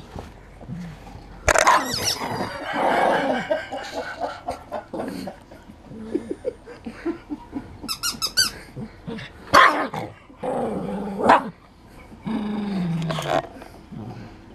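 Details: Boomer, a poodle, playing with a rubber toy indoors in March 2016: short harsh barks and low rumbling growls, with a burst of high toy squeaks midway and room noise between.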